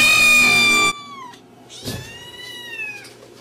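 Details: Cat giving a loud, bright meow that falls in pitch at its end, followed by two softer, thin meows that rise then dip against a quiet background.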